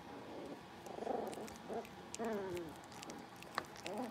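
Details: Blenheim Cavalier King Charles Spaniel puppies, a litter of five born at New Year's, playing in their indoor puppy pen; short, high, wavering whines and yelps come in separate bursts over a low background hum.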